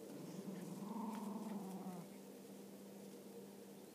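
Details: Several Cairn Terriers, including a mother and her son, play together, one dog growling noisily. It gives a low, rumbling play growl that rises slightly, then fades: playful growling during a game.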